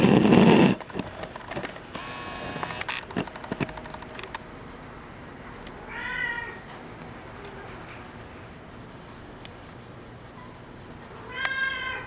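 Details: Brown tabby and white male cat gives two clear, drawn-out meows about five seconds apart, after opening clatter and knocking sounds, with quiet room noise between calls.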